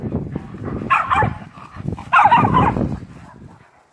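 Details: Playful, feisty Miniature Schnauzer gives two rough, broadband growling barks about a second apart, with low rumbling growls between and after them that fade out toward the end.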